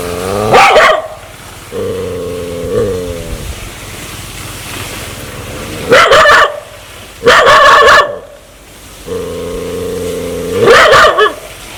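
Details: Aggressive dog that wants to bite people: low, drawn-out growling stretches with steady tone alternate with sharp, loud barks, about four bark bursts over the clip.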